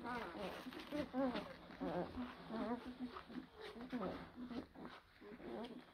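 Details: Blue Great Dane puppies from two April 2023 litters at Kennel Hradecká hvězda, giving high, wavering squeals and whines in quick overlapping bursts, several pups calling together indoors with rustling in the background.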